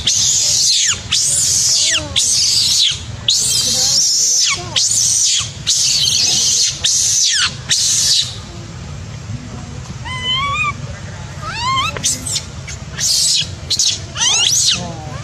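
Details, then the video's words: Baby macaque, angry and shouting loudly after its mother refused it milk: a run of shrill, arching screams repeated about once a second for eight seconds, then thinner rising and falling squeals with quieter pauses between them. "The mother monkey refused to give the baby monkey milk, the baby monkey got angry and shouted loudly"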